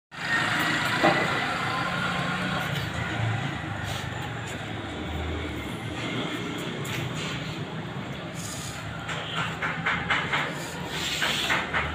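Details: Steady rumble of passing vehicles and a train on an urban street, with faint speech and clattering; no animal voices.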